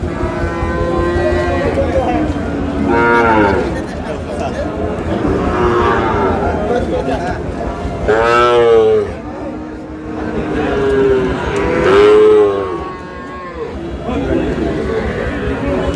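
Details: Sahiwal bull calf, said to be seven to eight months old, at a cattle market where a farmer from Sirajganj buys it in late May; several drawn-out, harmonic moos rising then falling, spaced a few seconds apart, over steady crowd chatter and market bustle.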